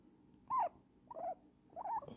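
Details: Elderly female guinea pig squeaking while enjoying a cuddle in a blanket; three short, wavering squeaks that rise and fall, spaced roughly half a second apart, in a quiet room.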